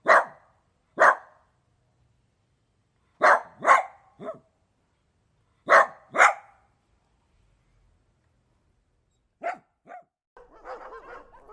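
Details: Dog barking in short sharp bursts, single and doubled barks spaced a second or two apart, then a few softer yips and a brief grumbling, rattly sound at the end.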